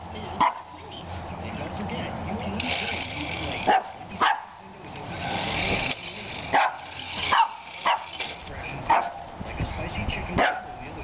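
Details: Jacob, a two-year-old Shih Tzu, barks at a remote-control toy truck: short, sharp single barks spaced a second or more apart, with people talking and the whirring toy motor throughout.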